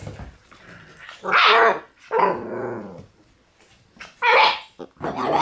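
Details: Red Shiba Inu male puppy born on 7 September, giving three loud, harsh yelping barks with a whiny, harmonic edge, separated by short pauses, then a final quicker double yelp near the end.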